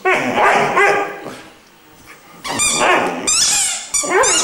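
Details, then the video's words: Three-month-old Irish Wolfhound puppy Glor na Gael Iarla vocalizing musically: a sustained wavering howl, a quiet pause, then sharper yelping barks and a high rising whine near the end. "Irish wolfhound is singing"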